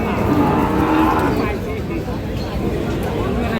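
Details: Cattle at Ambari market, Parbatipur upazila, Dinajpur, where Sahiwal, Sindhi and local dairy cows with calves are sold: a long, low, harmonic moo in the first second and a half, then fading into the murmur of the market crowd.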